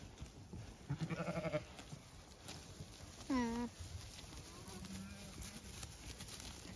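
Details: Zwartbles sheep in County Kilkenny, Ireland, let out through a gate onto fresh grass; a stuttering bleat followed by a clear, quavering bleat that falls then levels off, over a rustling outdoor background.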